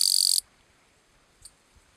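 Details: Gampsocleis schelkovnikovae bush-cricket calling song, recorded 11–12 September 2012 at Letea, Romania: a loud, dense, high-pitched buzzing burst of rapid pulses lasting under half a second, then near silence with a faint click.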